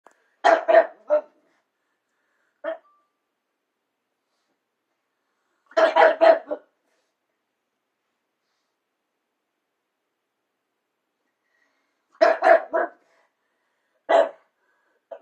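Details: Pug barking at its own reflection on a switched-off TV indoors: clusters of three to four sharp yapping barks, with a single short bark in between and long silent gaps; a dachshund naps nearby.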